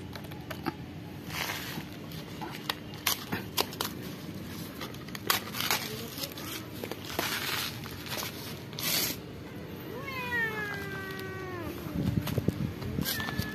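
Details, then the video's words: Cat living at a pagoda meowing to ask for food; crinkling and tearing noises fill the first part, then a drawn-out meow near the end bends downward in pitch, with a steady low hum beneath. "Many Cute Cats and Kitten who live in Pagoda Talking "Meow Meow" to me ask food for eat"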